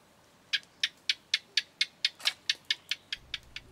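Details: A house gecko hidden inside a bird hide near Kaeng Krachan National Park, Phetchaburi, Thailand, on 18 February 2021 gives a dry, clicking 'chit-chat' series: about a dozen sharp, high chips, roughly four per second, fading slightly.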